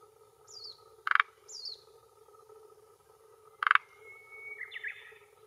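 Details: Male forest green tree frog (Rhacophorus arboreus) at a hillside pond edge in Japan, early June 2021 near 18:10, calling with vocal sac for territory and mates. Two loud rattling croaks about two and a half seconds apart, with high descending bird chirps and steady hum behind.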